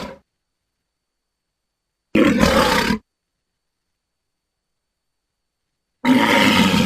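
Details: Walrus (Odobenus rosmarus), bellow.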